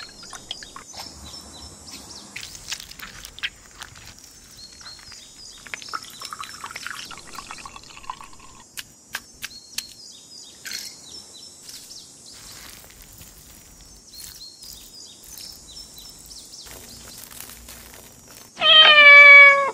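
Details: Kitten giving one loud, rising, harmonic-rich meow of about a second right at the end, after a long stretch of quiet clinks, taps and rustling.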